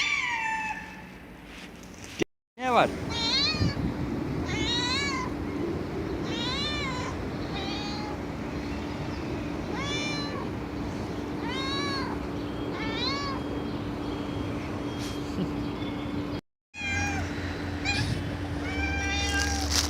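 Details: Loud cat meows repeated in quick succession, short arched cries about every second, over a steady hum and background chatter, with two brief silent gaps.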